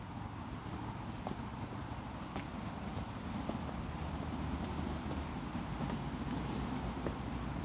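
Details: Autumn insects sing in Hachioji's Fujimori Park, Japan, on a rainy morning, 6 September 2020, with cicadas no longer heard: constant thin high ringing over dense low-frequency background rumble, with a few brief sharp clicks.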